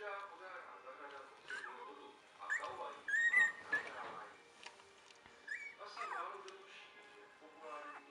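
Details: Two-week-old Entlebucher Mountain Dog puppies in a litter make high, squeaky whimpers and thin squeals in short bursts, mixed with people talking softly in a room.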